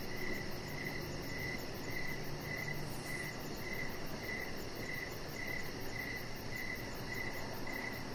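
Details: Crickets in the evening beside a deck, their high, slightly buzzy chirps coming at a regular pace of about two per second, with faint low rumble beneath.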